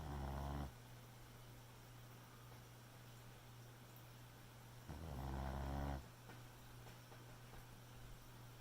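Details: Boxer puppy asleep at night, snoring softly: a low rasping breath at the start and another about five seconds later, each lasting roughly a second, with a steady low hum between.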